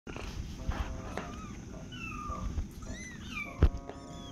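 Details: Tiny kitten meowing for attention from a person indoors: thin, high, wavering mews that rise and fall, several in quick succession, with a steady musical hum and soft handling noises behind.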